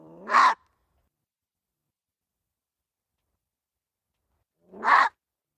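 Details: Gray fox barks: two short, harsh, explosive yelps about four and a half seconds apart, the second led in by a brief low rasp, with silence between.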